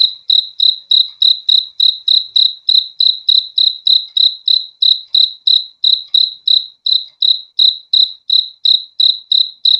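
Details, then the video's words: Rhythmic cricket chirping, bright high-pitched pulses repeating about three times a second without a break, in an otherwise silent setting suited to falling asleep. "BEAUTIFUL SOUND OF CRICKETS"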